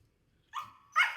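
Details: Siberian Husky, one of two being fed cucumber by their owner, gives two short, clipped, harmonic yelps about half a second apart, with quiet background in between.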